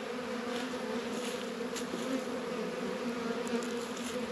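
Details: Dense, unbroken buzzing of honey bees working at the hive on a warm 72-degree February day in northern Kentucky, the hum filling the whole moment.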